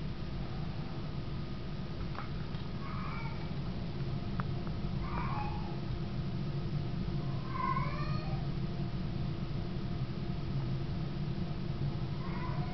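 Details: Baggins, a house cat, 'singing' after lights-out: scattered short, bending meows spaced a few seconds apart, rather faint above a constant low electrical hum in a small room.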